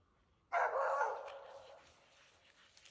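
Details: Norwegian Elkhound hunting dog barking at a yearling moose heifer that will not stand still, after driving the moose for a couple of hours during a hunt in Sweden; a single loud, harsh bark that trails off over about a second.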